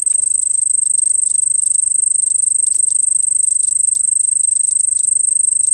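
A cricket trills steadily, a shrill, very high buzzing note that never lets up.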